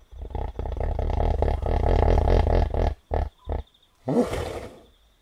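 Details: A hippopotamus at night by a river in Kafue National Park, Zambia, gives a deep, rumbling series of rapid pulsed grunts, then short honks and a breathy snort.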